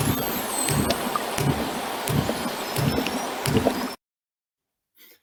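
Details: A minke whale off the Beara Peninsula, Ireland, gives a train of low, thudding pulses about every two-thirds of a second with its own clicks. This is its song, believed to be a reproductive call, and common dolphins whistle constantly above.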